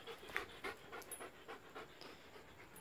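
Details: Belgian Malinois pants hard while going after a Pedigree DentaStix placed on a swing. Soft rhythmic breathy huffs come several times a second, evenly paced, over light background hiss.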